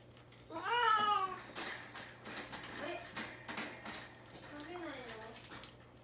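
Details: Indoors, the young cat Mame-Daifuku, caged without food or water ahead of castration, gives a loud wavering meow. A quieter, falling mew follows amid human speech and a constant low electrical hum.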